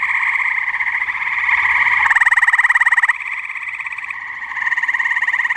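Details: Dense chorus of tree frogs on a muggy New Jersey pond night, continuous overlapping rapid trills, one near caller sounding a loud pulsing burst for about a second before the chorus carries on.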